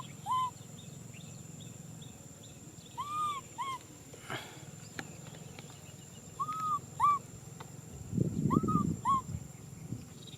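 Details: Nui Simon, a baby macaque, cries out for a hug in short paired whistled wails, rising then dropping, repeated every few seconds, with a brief burst of low rumbling near the end.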